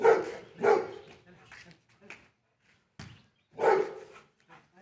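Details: Oscar, a Labrador Retriever playing football with a person who struggles to take the ball from him, gives loud short barks: two in quick succession at the start, then one more after a pause. Faint quieter sounds fall in between.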